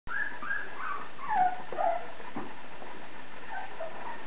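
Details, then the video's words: Blue Thai Ridgeback puppies whining: several short, high, wavering whimpers that rise and fall in the first two seconds, then fainter scattered whines over a steady background hiss. "blue thai ridgeback dog's puppies"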